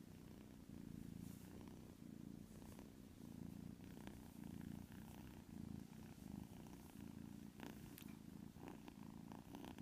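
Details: Asleep, a white kitten snores in a low rumble that swells and eases in short rhythmic waves, with faint rustling in the room behind it.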